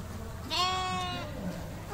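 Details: Skudde sheep kept in the breeding flock of the Museum of Folk Architecture in Olsztynek, Poland, gives a single drawn-out bleat of about three-quarters of a second. The bleat is nasal and harmonic, steady, then fades, over a low background hum.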